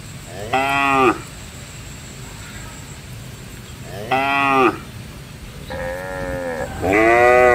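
A cow gives four short, rich moos, each under a second, the last two close together, over a low steady background hum.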